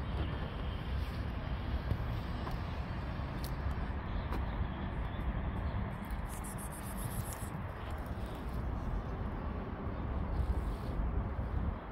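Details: Outdoor street noise of passing vehicles and a low rumble dominates, with faint distant voices and no clear animal call.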